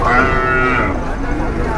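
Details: Angry cattle being unloaded from a truck: one drawn-out moo with stacked harmonics that fades after about a second, over a low rumble of background noise.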